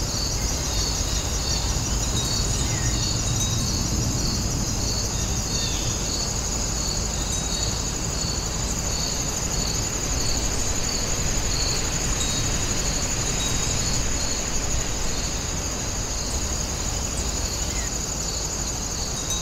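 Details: Grass insects at Wonin-jae: a steady, shrill high-pitched trill with softer pulsing chirps layered beneath, repeating about three times per second throughout, over a constant low rumble of background noise.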